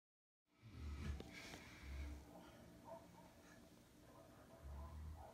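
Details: Sleeping German Shepherds from a pack, soft low rumbling snores rising and falling in slow breaths about every second or two, with faint higher rustles between them.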